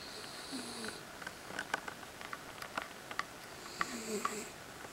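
A Miniature Schnauzer snores softly, with low breathy rasps and faint clicks and sniffs.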